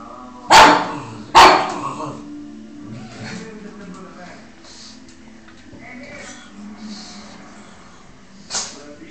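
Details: A pug barking at a Spiderman "enemy" lets out two abrupt, punchy barks about a second apart, then one later bark, over soft background music and murmured voices.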